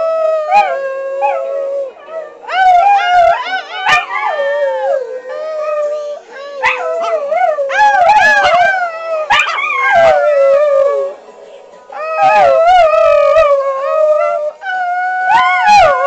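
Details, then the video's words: Three pet dogs, Capone, a brown dog in a sweater, little Elvira and brown Kitty, 'singing' along to SpongeBob: overlapping wavering howls and yips that rise and fall, in bursts of two to four seconds separated by short pauses. "Spongebob singing dogs"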